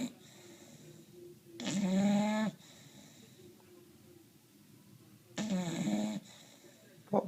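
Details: Bulldog snoring while asleep: two harsh, buzzing snorts about four seconds apart, each close to a second long, separated by soft low breathing in a quiet room.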